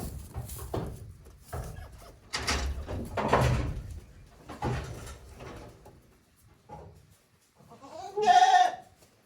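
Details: One-day-old goat kids on a handmade goat farm in Japan, 17 April 2024; after several seconds of rustling and handling noise, a single loud, wavering, harmonic bleat closes the recording.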